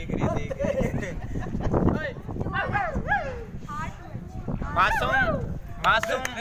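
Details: An Indian pariah (desi) dog puppy gives high, arching whines and yips, with voices murmuring in the background.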